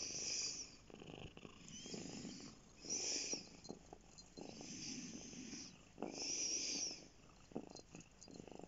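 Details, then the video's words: Domestic cat named Bear lying on a lap and purring steadily; the vibrating purr rises into louder, breathy surges every few seconds, then drops back to a quieter rumble between breaths. "Bear lap cat"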